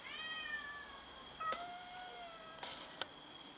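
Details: Domestic cats meowing while fighting over food: two clear, tonal meows in a row, the first long and level, the second slightly falling, then sharp clicks and knocks, with a steady high whine behind.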